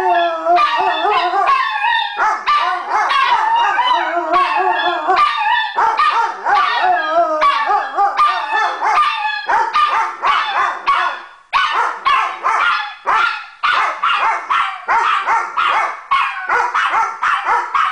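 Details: Evening howling duet by Sadie, a Weimaraner, and Tony Montana, a Chihuahua, a daily habit; long sustained low howls with wavering higher voices, later turning into rapid choppy yelping howls repeated about every second.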